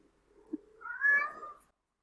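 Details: Male domestic cat calling for a mate, shifting from meowing into yowling; a faint low murmur, then a short harsh wavering yowl of under a second, rising and falling.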